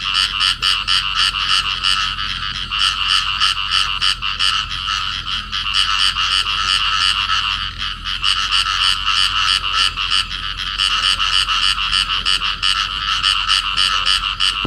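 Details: Two field frogs clasped in amplexus, Cầu Kè, Vietnam, giving a fast, harsh croaking series of about three pulses each second, continuous and loud with slight dips in intensity around eight seconds.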